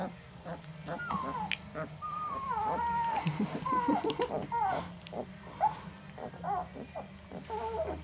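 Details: Three male Northern Inuit puppies, 11 days old, whimpering; thin, wavering whines rising and falling around the middle pitch range, several overlapping, with a person talking softly nearby.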